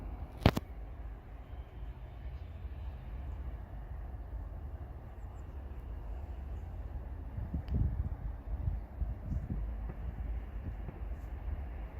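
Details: Low, steady rumble like distant traffic or wind fills the recording, with a sharp click near the start and faint scattered knocks later; no animal voice stands out.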